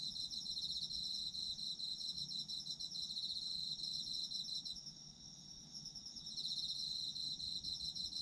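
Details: Autumn insects in a night-time chorus for sleep: dense, high, pulsing trills, several chirpers overlapping in steady rapid pulses, easing briefly around the middle before swelling again, with a soft low rumble beneath.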